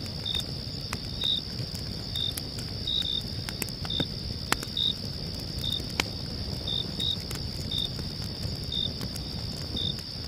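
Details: Crickets chirping at night: an unbroken high-pitched trill carries through, topped by around fourteen short clipped chirps spaced unevenly, with scattered fire crackles and small pops throughout.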